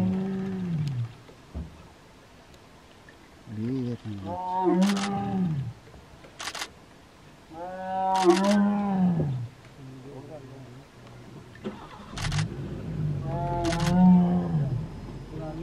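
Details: A tiger cub in zone 4 of Ranthambore National Park gives loud, deep, moaning roars in bursts of about two seconds, with people talking nearby; an onlooker wonders if it is calling cubs.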